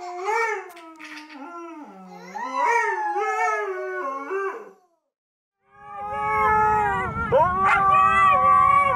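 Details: Siberian Husky pet singing and talking: wavering, stepped howls that rise and fall in pitch, a brief pause, then a sustained higher howl over a noisy background rumble.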